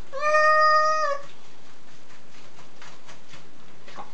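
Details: Jun, a domestic cat being washed after dust-bathing in the garden, gives one long, steady, harmonic meow lasting about a second, followed by faint rustling and splashing in a small room.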